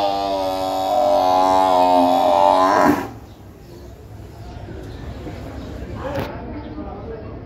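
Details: A water buffalo at the Gabtoli buffalo market in Dhaka gives a long, deep, droning bellow that holds steady for about three seconds.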